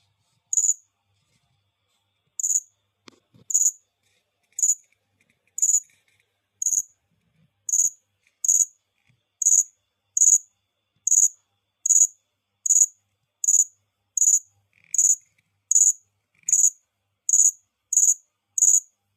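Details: Cricket giving short, very high chirps, each a brief pulsed burst, repeated a little more than once per second in a fairly steady rhythm after an early gap; one faint low click near the start, otherwise quiet background.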